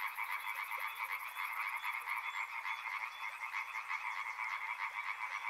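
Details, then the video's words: Many frogs call together near a river in a thick, unbroken croaking chorus; a fast, high-pitched pulsing buzz runs over the first two seconds, then fades, leaving the throbbing frog chorus alone. "Frog Sounds | Soothing sounds of river and frogs"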